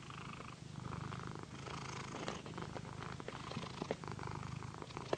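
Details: Massaged house cat Paquita gives a strong, rhythmic low purr, heard over frequent rustling and scratching of fingers on fur and satin.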